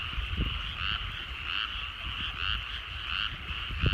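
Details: Rice-field frogs at dusk in rural Japan croak in a busy chorus, bursts of pulsed calls recurring about twice a second, with occasional low knocks and rumbling in the background.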